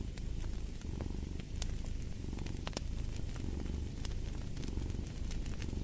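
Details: Strong, even cat purr rumbling low with a fluttering vibration across each breath cycle, beside occasional crackling pops from a cozy fire.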